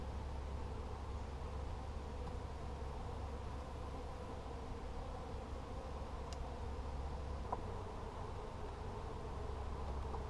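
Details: Honey bee colony in a nuc checked in mid-July 2020, with brood and a hatched queen cell; constant low droning hum of many bees, a few faint clicks and taps near the end.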